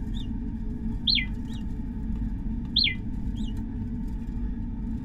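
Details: Laboratory naked mole rats from a colony with its own chirp dialect, said to be enforced by the queen. Soft chirps sweep downward from high to lower pitch, about five scattered across the stretch, over a constant low rumbling hum.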